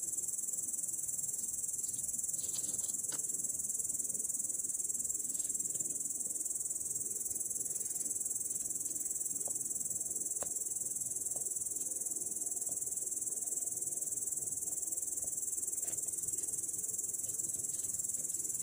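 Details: Grasshopper perched in grass on 18 August 2017, giving a long, sustained high-pitched sizzling trill with a steady rhythm of about four pulses per second and occasional soft ticks behind it.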